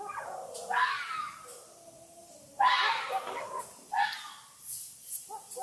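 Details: A fox at night gives three loud, hoarse, wavering screams with quieter whining notes between them against a slightly noisy background.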